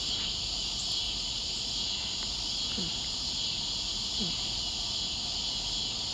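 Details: Three or four scissor-grinder cicadas (Neotibicen pruinosus), the only cicadas calling, keep up a steady, high, sizzling drone from several distant spots along a street, on 2 August.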